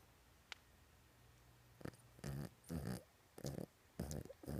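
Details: Toy Poodle asleep on his bed, dreaming, indoors: a run of rough, low snuffling snores in quick bursts about every half second to second, growing louder after a quiet start with one faint click.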